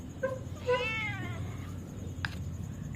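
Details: Outdoor neighbourhood cat, a stray that has become tame, meowing while being called to food: a short meow, then a longer harmonic meow rising and falling, over low rumbling background noise and a brief click.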